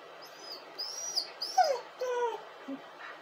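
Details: Dog crying: short, high whining squeals followed by several downward-bending, tonal whimpers with rich overtones, coming in uneven bursts over a faint steady background hiss.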